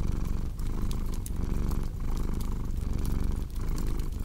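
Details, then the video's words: A cat's deep, continuous purr rising and falling in quick breath cycles, under the snapping and popping of a cozy fireplace fire. "Purring Cat with Cozy Crackling Fireplace Sound"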